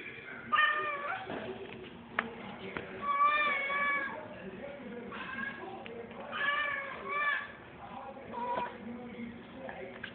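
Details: House cat making odd noises while chasing a fly: a string of short, tonal, wavering meows and trills, about five in ten seconds, some rising then falling, with soft room background between them.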